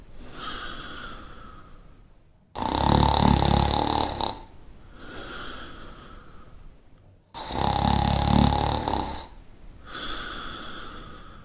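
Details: Shar Pei snoring in even cycles, each a loud guttural rattle of nearly two seconds while inhaling, then a gentler airy exhale with a faint whistling tone, repeating about every five seconds.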